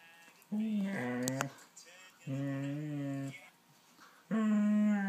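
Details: A female Husky–German Shepherd mix dog (Canis familiaris) gives three drawn-out, talkative moans while playing with her ball, each moan about a second long.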